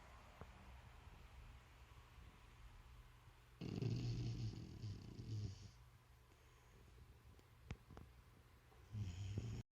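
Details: A sleeping dog named Bruce snores. One rough, low, rumbling snore runs about two seconds, then a quiet stretch broken by faint clicks, and a shorter snore begins near the end.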